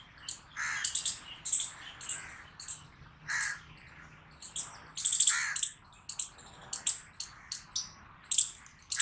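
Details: Chipmunk calling with rapid high chirps, some in quick pairs, a short pause midway, then the regular chipping resumes at about two notes per second.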